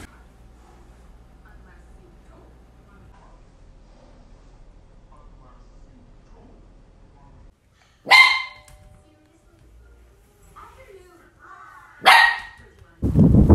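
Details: Shetland Sheepdog puppy barking indoors, two sharp single barks about four seconds apart after a quiet stretch, then a loud burst of broadband noise at the end.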